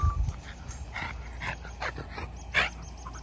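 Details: French Bulldog puppies at playtime: a few short, sharp yips and whimpers scattered through the moment, with scuffling noise and faint outdoor hum behind.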